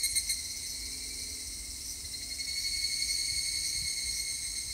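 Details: An evening cicada (higurashi), recorded 3 August 2021, gives a steady, high shrill ringing continuously in the upper registers.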